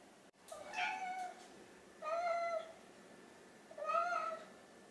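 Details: House cats, an orange tabby named Chai and a mackerel tabby named Sushi, begging for food while hungry before mealtime indoors; three drawn-out, slightly rising then falling meows about a second apart, with a sharp knock at the start.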